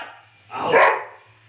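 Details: A single dog bark from the Terry vs. Trixie pairing: one short, harsh, mid-pitched burst about half a second long, rising to a peak and dropping off, over a steady low electrical hum.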